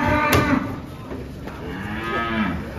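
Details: Giant cattle unloading from a truck. A sharp knock opens the clip, then short, curving lowing calls rise and fall near the end over background bustle.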